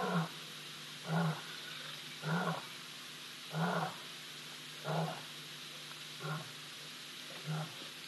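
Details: Older lion harassing a younger lion at Ol Donyo, caught on a live camera on 3 March 2023: low, rumbling growl-grunts pulsing about once every second, seven in a row, over steady background hiss.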